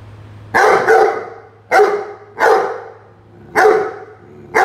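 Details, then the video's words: A Rhodesian Ridgeback called Roady plays with a watering can, letting out loud barks in pairs and singles, roughly every second, some doubled, with a faint constant hum in the background. "Rhodesian Ridgeback (Roady Vs Watering can)"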